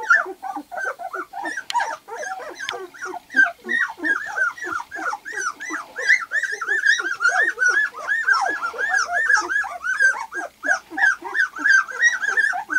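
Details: Two-week-old white golden retriever puppies, litter of Lily and Axil, eyes just opened and crawling around, give a dense chorus of high squeaky whimpers and yips, overlapping rising-falling cries several per second from many pups.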